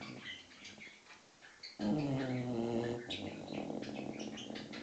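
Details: Six-month-old English Bulldog puppy asleep, giving one low, rough, droning snore lasting about a second. Noisy birds chirp throughout in the background.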